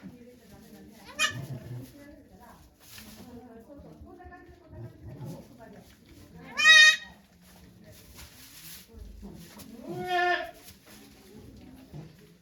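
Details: Nanny goat Okayu in labour with twins at a Japanese goat farm, 3 May 2023, volunteers present: two strong wavering bleats about three and a half seconds apart, with people talking quietly throughout.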